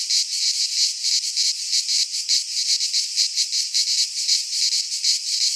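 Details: Cicadas singing in midsummer in a pine forest in Greece: a dense, buzzy, unbroken high drone, pulsing in quick throbs several times a second, with no other sounds.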